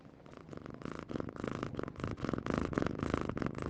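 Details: Domestic cat purring steadily, a low rumbling pulse repeated about three to four times a second in rhythmic bursts, growing slightly louder toward the end, with no other sounds.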